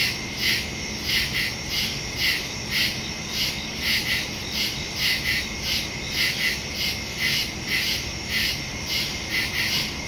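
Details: Crickets chirping in woods at night on September 2, 2023, recorded with a Samsung Galaxy S22 Ultra and Shure MV88+; many overlapping high chirps in paired bursts, steady shrill background trill throughout.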